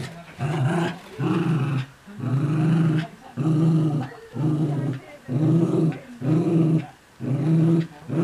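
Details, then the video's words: Miniature Schnauzers at early morning play, chasing and tugging, a week after the puppy's arrival. Deep, rasping growls come in steady bursts about once a second, each roughly half a second long, separated by short gaps. "Miniature Schnauzers playing chase/tuggy"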